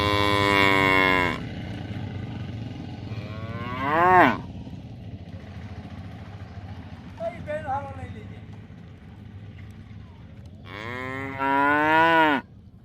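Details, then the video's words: Buffalo lowing with long harmonic-rich moos at the start and end and a short rising call around four seconds, separated by quieter stretches with a faint background hum. "Buffalo Videos with Buffalo Sounds"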